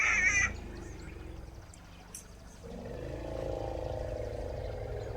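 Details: A struggling newborn African elephant in the wild gives a brief, shrill scream, followed by a low, drawn-out groaning rumble.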